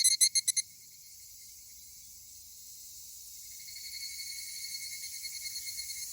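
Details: Pair of male higurashi cicadas, possibly in a fight; five quick ringing pulses open, then a steady high-pitched chorus hum continues with faint, loosely spaced pulses rising toward the end.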